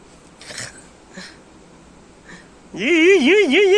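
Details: Domestic cat indoors: after a few soft faint sounds, one loud drawn-out meow whose pitch wavers up and down several times over about a second.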